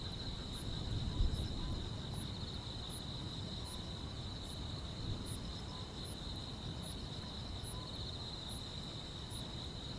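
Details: Grass insects on a quiet rural summer night: a steady, unbroken high trill runs throughout, while a sharper, higher chirp repeats about every 0.8 seconds. A soft, low rumble of background noise lies underneath.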